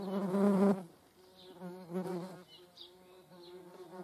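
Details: A loud, close pass of a median wasp among honeybees gives a rich, humming buzz, then falls away to a quieter, steady drone that wavers as the insect keeps flying nearby.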